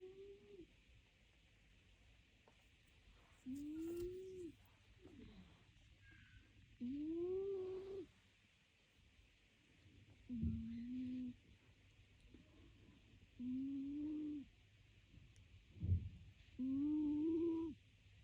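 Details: Sleeping cat snoring indoors: six drawn-out, humming, voiced snores, each rising then levelling off for about a second and recurring roughly every three seconds, with quiet breathing between them.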